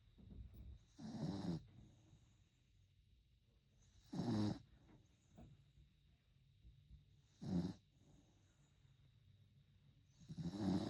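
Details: Puppy asleep and snoring, four short raspy snores spaced roughly three seconds apart, each a brief noisy burst over a quiet low hum.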